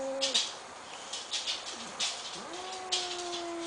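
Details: Angry asthmatic house cat facing a new kitten brought into the family: nasal, goose-like tonal honks, steady then dipping and rising, broken by short hissing puffs.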